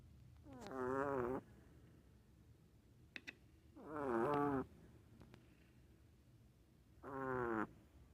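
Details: Dog snoring: three drawn-out, wavering voiced snores with a tonal, slightly whiny quality, each under a second long and spaced about three seconds apart, separated by quiet breathing gaps with a couple of faint clicks.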